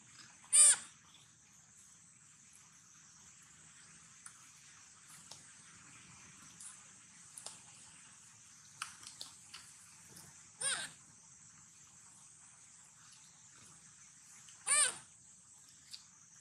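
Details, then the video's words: Sweetpea, a baby monkey, calls sadly while hungry and looking for its mother: three short, shrill, harsh cries spaced far apart, one at the start and two near the end, between long quiet stretches with faint clicks and rustles. "Original sound monkey Sweetpea! Poor SP make sound so sad looking for mom-SP hungry"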